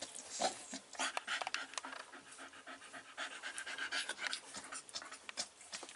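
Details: Five-week-old Staffordshire Bull Terrier puppies with their mother, filmed 27 September 2020 while one chews another's tail; rapid, rough, breathy panting puffs repeated throughout, with faint rustling and a woman's French voice around it.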